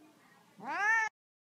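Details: Pet cat called Z, being coaxed to accept petting, gives one short rising meow of about half a second. The meow is clear and tonal, climbs in pitch, then cuts off sharply into silence. A faint low hum sits beneath.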